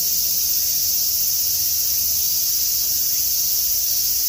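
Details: Summer afternoon in Tokyo, typhoon approaching: massed cicadas give a constant shrill, sizzling buzz, very even in pitch and loudness, filling the whole stretch without a break.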